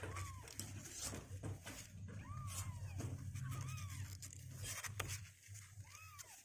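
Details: Two-week-old kittens indoors, now stronger on their legs and not wanting to stay in the box, call with curved high mews roughly every second, amid handling noise, clicks and a constant low hum.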